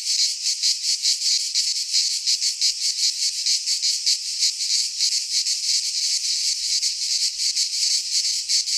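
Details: Midsummer chorus of cicadas in a pine forest in Greece, a continuous shrill hiss that pulses roughly three times a second, rhythm slightly uneven, loudness constant from start to finish.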